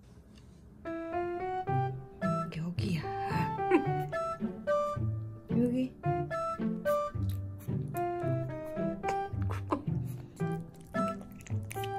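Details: Gentle piano music with a steady melodic line over soft low bass notes, with some quiet speech mixed in and no animal sounds.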